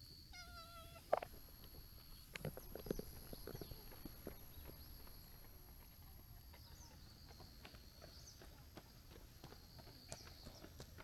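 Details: A clingy tabby-and-white stray cat follows along outdoors, not wanting its visitor to leave yet. It gives one short, clear, tonal meow near the start, then footsteps shuffle while a steady high insect drone hums through the background.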